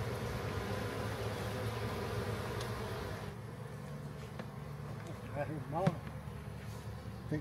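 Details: A captured backyard honey bee swarm, its queen in the new hive, makes a thick, low buzzing drone for about three seconds. The hum then drops lower while a man's voice and a few clicks take over.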